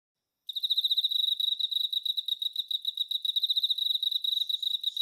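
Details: Male Emma field cricket singing: after a brief silence, a steady run of bright, high, rapidly pulsed chirps begins. The notes are trilled in quick, even succession, with no other sounds.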